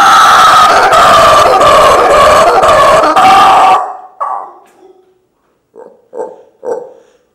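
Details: Mango, a rescued howler monkey injured as an infant and raised in care, howls as a juvenile that became alpha of his rescued group: a loud, rough, harmonic roar for nearly four seconds, then a few short grunting barks.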